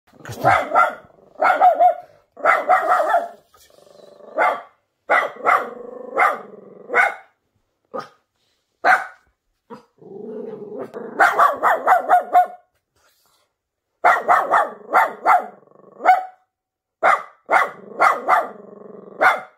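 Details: Nervous Miniature Pinscher barking in sharp, bright bursts, mostly in quick runs of three to five barks separated by brief pauses, with a few softer whining or growling stretches between the runs.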